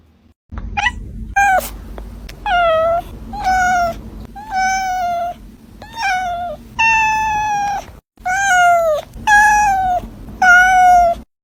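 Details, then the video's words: Young cat meowing insistently: about nine loud, clear meows in quick succession, mostly level or gently falling, some with a brief upward start, nearly one per second. "صوت قطة صغيرة"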